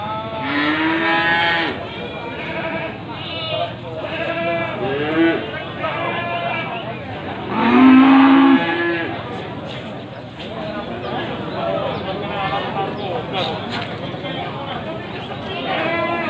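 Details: Bleating from male Etawa goats at Pasar Wage livestock market, Panggul, Trenggalek, ahead of Qurban, 18 May 2020. Loud, quavering calls repeat every few seconds, with one strong, drawn-out bleat midway. People talk nearby.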